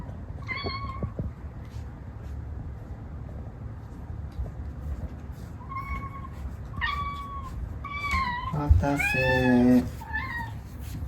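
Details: Munchkin cat named Moko, a long-legged female aged three, meowing for food indoors: about six short, clear meows, some rising then falling, ending in a longer, wavering whine, over a low background hum.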